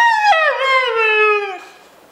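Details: A talking husky, asked whether it wants to go to Central Park, answers with a drawn-out, tonal howl lasting about one and a half seconds. The howl starts with a brief break, then slides down in pitch and fades out.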